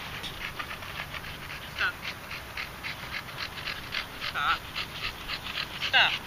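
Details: Red Staffordshire Bull Terrier named Moses, a big ginger male that pants a lot from the effort of walking: rapid breathy panting bursts repeated about three to four times a second, with a few brief higher squeaky sounds and faint speech.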